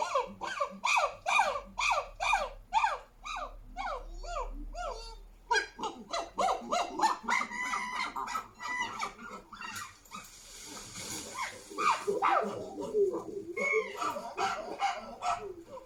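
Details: Chimpanzee. A chimpanzee group screams and hoots, starting with a quick run of sharp, arching shrieks. The calls then break into an overlapping, raucous chorus of wild, high-pitched screams.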